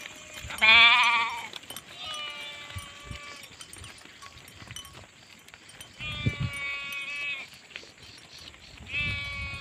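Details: Sheep bleating: a loud quavering baa near the start, then three more drawn-out wavering bleats spaced through the clip, each about one to one and a half seconds long.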